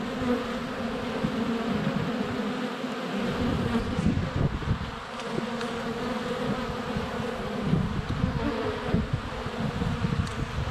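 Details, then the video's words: Many honey bees flying around the hive entrance in February sunshine, a GoPro Hero 7 Black held less than a foot away; a continuous droning buzz swelling and fading as individual bees pass close, with brief clicks from landings. "Honey Bees - ambient video and audio"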